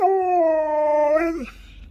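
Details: Pet Alaskan Malamute Sherpa gives a sustained, level, harmonic howl that sags and breaks downward at the end, trailing off into quiet room noise.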